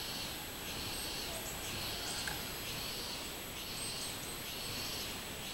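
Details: Song of a robust cicada recorded 24 July 2016: rhythmic, droning, high buzzy pulses that swell and fade about once a second against a soft background hiss.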